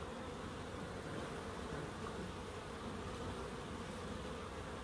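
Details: Bees in a small wildlife garden in Crookes give a steady, low droning hum that holds unbroken and even in volume throughout, with no other clear sounds.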